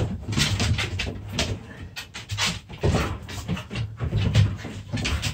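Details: Young dogs wrestling in play, with steady low growling broken by sharp snorting bursts and scuffles, close and continuous throughout.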